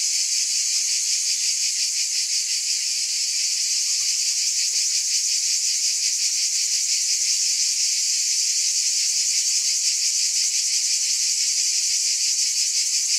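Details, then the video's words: Unbroken high, sizzling buzz from a cicada chorus, finely pulsed in a rapid throb that holds one level from start to finish, with nothing else audible. "Scintillating Cicadas"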